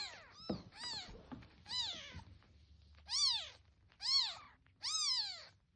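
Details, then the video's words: Young kitten calling with loud, insistent meows, each a short rising-and-falling arc, several softer overlapping cries first, then three strong evenly spaced ones, over a low background hum. "猫が寄ってくる音 赤ちゃん猫の鳴き声"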